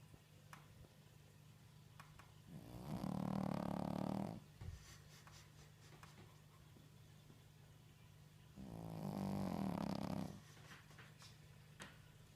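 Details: A sleeping Shih Tzu snores loudly, with long rasping breaths about six seconds apart.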